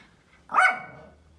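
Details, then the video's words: Pet Pomeranian indoors, one of three, barking while watching deer out the window; a single sharp, bright bark lasting about a quarter second with a short fading tail, followed by a quiet room. "pomeranian dog barking loudly"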